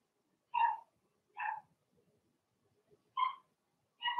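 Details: Four bright, ringing yaps from Blenheim Cavalier King Charles Spaniel puppies in their puppy pen, spaced about a second apart with a longer pause before the last two.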